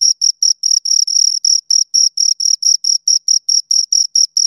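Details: Two crickets chirping close up: high, pure pulsed chirps repeated about four times a second, with a fainter upper band, some pulses running together in longer trills, on a silent background.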